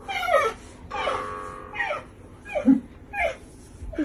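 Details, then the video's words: Marsel, a pet lynx kept indoors, calls while a sad tune is played nearby: a run of descending, harmonic wailing calls, about one each second, overlapping a sustained musical tone, with a woman talking softly in Russian. "Lynx Marsel's Cute Voice"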